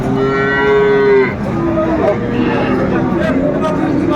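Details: At a Chattogram cattle market in Bangladesh, 7 December 2024, where a Sahiwal bull calf was bought: one loud, steady, long moo opens the clip, followed by fainter lowing beneath the murmur of the market crowd.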